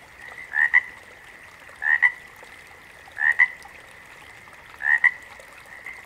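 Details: Frogs in a backwater chorus. A close frog repeats a two-beat croak, rasp then click, four times at roughly one-and-a-half-second gaps over an unbroken, ringing hum of the wider frog chorus.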